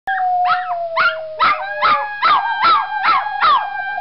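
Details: A pet Toy Poodle howls along with its owners in a series of quick, wavering, yelping rises over a long, steady tone.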